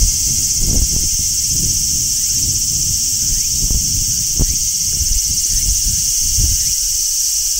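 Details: Large brown cicada singing in midsummer: a flat, steady shrill drone running throughout, with occasional soft thumps and brief faint rising squeaks.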